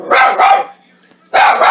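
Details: Baylee, a pet dog, barks furiously at a running Soup Mate soup maker: two sharp, loud, rough barks in quick succession, a short pause with a faint mechanical hum, then another forceful bark.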